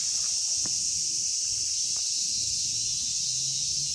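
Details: Several cicada species, Platypleura kaempferi, Graptopsaltria nigrofuscata and Hyalessa maculaticollis, in Kitatama District, Tokyo, Japan, make a constant high, hissing buzz without pauses, with faint low rustling beneath.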